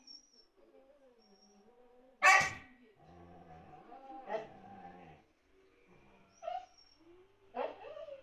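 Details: Indoor Siberian Husky trying to get another husky, lying under a sofa, to play: a sharp loud yip, then a long wavering harmonic moan-talk, followed by two short rising whines spaced about a second apart.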